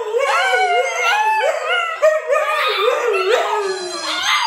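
A Siberian Husky howls in a continuous, wavering, yodel-like voice that rises and falls.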